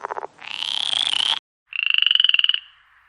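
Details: Toad sound with a fast pulsed trill, then a longer raspy buzzing call, a pause, and a second rattling trill that fades out.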